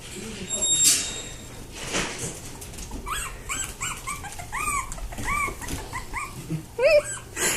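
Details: Havanese puppies, a hand-raised litter, give high arched squeaking whimpers in quick runs through the middle of the recording, with a woman's excited voice, rustling and handling noises around them.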